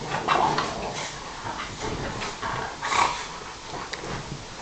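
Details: Indoor couch play fight among a Bulldog, a Sarplaninac and a Staffordshire bull terrier, Bob and Alfie going at it. Two louder raspy growl bursts stand out amid continuous muffled grumbling and scuffling.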